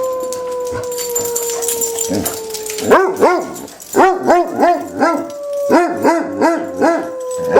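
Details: Two Basset Hounds in a howl-off take turns: a long, slowly falling mournful note, then rapid arched baying yelps.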